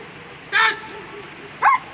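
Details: German Shepherd dog at a world championship agility event gives two short, sharp barks about a second apart over a quiet, murmuring background.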